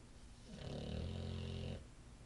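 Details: Male Olde English Bulldogge asleep on his favorite couch, recorded on an iPhone; one drawn-out, low, rumbling snore lasting just over a second, rising in from quiet and fading back out, with no other sounds.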